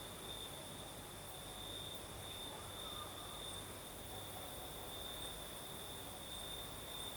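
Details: Night chorus of crickets in the south of Crimea: an unbroken, evenly pulsed high trill, joined by a thin higher ringing tone, set against a gentle breeze murmuring low in the background.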